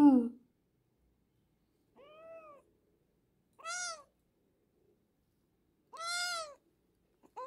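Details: Hungry rescued kitten found near a house on a morning walk, meowing in sharp, rising-then-falling cries, about four calls spaced a second or two apart with quiet gaps between.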